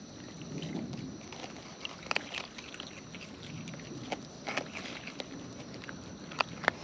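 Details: Wild raccoons eating, recorded close up: irregular wet crunching and sharp clicking bites scattered through the stretch, with a soft low rumble of background noise underneath.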